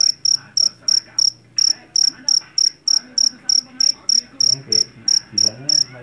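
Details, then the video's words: A loud jangkrik jeliteng, the Java field cricket taken from a rice paddy, chirps shrilly and steadily at about three chirps per second. Each chirp is a short pulsed trill, with a soft low background murmur. "SUARA JANGKRIK"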